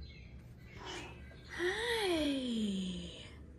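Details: Cat filmed in August, giving a short breathy squeak and then a drawn-out tonal meow. The meow rises briefly, then slides steadily downward for about a second and a half, with a soft voice speaking nearby.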